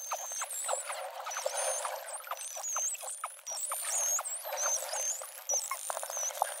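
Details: False killer whales with bottlenose dolphins underwater in Bremer Canyon, April 2016: high looping whistles over a steady crackle of clicks.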